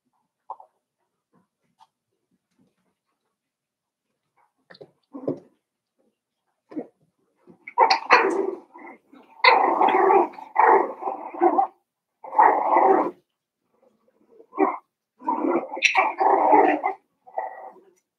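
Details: Daisy's litter of Cavalier King Charles Spaniel puppies, five weeks old, in their pen. A few faint squeaks at first, then from about eight seconds a dense run of overlapping yips and little barks in repeated bursts.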